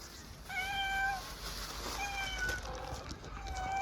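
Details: Hungry stray street cat in Istanbul, Turkey, meowing for food: three drawn-out, fairly level harmonic meows spaced about a second apart, with steady background hiss of the street.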